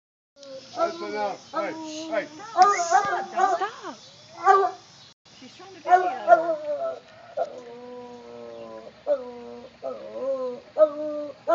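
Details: A hound dog (Canis familiaris) howls along to music in wavering, yodelling howls that break into long, drawn-out mournful notes.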